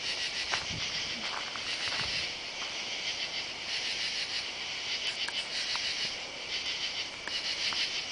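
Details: Katydids heard at night on July 31 beneath oak trees beside a house, recorded while walking down a driveway; harsh, raspy pulsed calls from several insects overlap steadily, with light ticking and footstep sounds.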